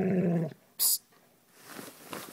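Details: Old English Sheepdog at play with a blanket gives one loud, deep, rumbling growl lasting half a second. A sharp hiss follows, then quiet rustling.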